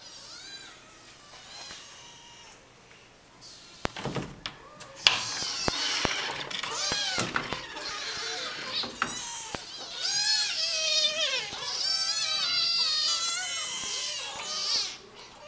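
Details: Five demanding kittens and a pushy mother cat meowing greedily for food indoors: a chorus of high, wavering, overlapping meows that grows busier and louder in the second half, with a few sharp knocks and faint voices.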